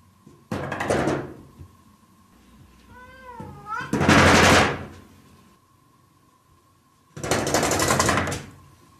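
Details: Cat indoors gives one short, wavering meow with rising and falling bends near three seconds, framed by three loud broadband knocking or rustling bursts and a steady faint tone in the background.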